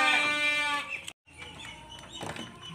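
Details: Texel Merino ram, eleven months old, described as jumbo-sized; a loud harmonic bleat lasts nearly a second, followed by a brief silence, then background music and faint voices.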